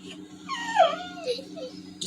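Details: Toby, a Labrador Retriever, sad at missing his walk because of rain, gives one drawn-out whine that slides downward and then wavers, rich in overtones. A steady low hum runs underneath, and a person speaks nearby.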